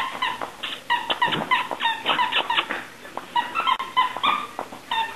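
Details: Playing cocker spaniel puppies produce a rapid run of thin, high yelps and squeaky whimpers, overlapping in quick bursts with brief pauses.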